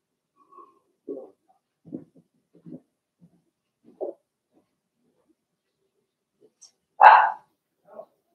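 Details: Blenheim Cavalier King Charles Spaniel puppies from a litter of six, two girls and four boys, indoors in a puppy pen during potty training; scattered soft low grunts, then one loud higher yelp near the end.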